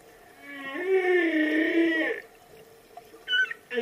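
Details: Whale call: a smooth, harmonic, slightly rising moan lasting about a second and a half, then quiet, with a brief higher tonal chirp near the end.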